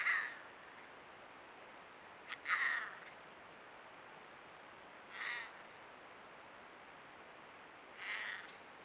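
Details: Consorting pair of wild mountain lions in Nebraska, February 2024, caterwauling; distant strained wailing cries repeated about every two to three seconds, faint over steady background hiss and a thin constant high tone.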